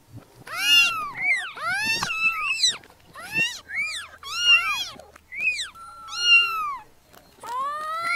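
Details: Newborn kittens squeaking and mewing: high, bent, harmonic cries, several overlapping, some short and chirpy, others longer and flatter, coming roughly once a second.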